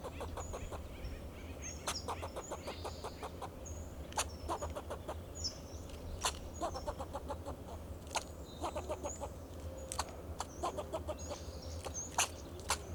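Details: Fox squirrel alarm calling from a Monterey pine in Del Monte Forest, California, protecting itself and its territory: long sequence of sharp chuck notes in quick clusters and spaced singles, with faint high-pitched bird twitters and a constant low drone.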